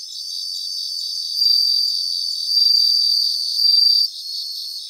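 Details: Bell crickets singing in a grassland in Japan: sustained high ringing trills in bursts of about a second, swelling louder three times, over a steady pulsing chorus of other insects.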